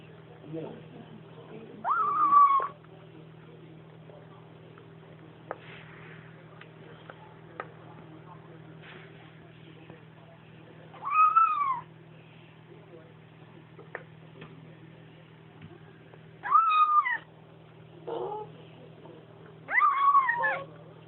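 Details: A Bengal kitten makes short, high, tonal "om nom nom" mewing sounds while eating, with a steady electrical hum behind.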